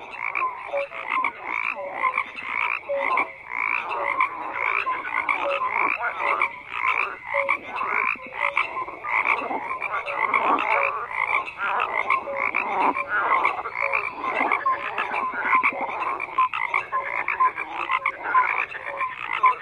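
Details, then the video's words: Many frogs croaking together in a dense, continuous chorus, overlapping rattling croaks and short tonal notes layered without pause, mid-pitched with a bright upper band. "FROGS CROAKING"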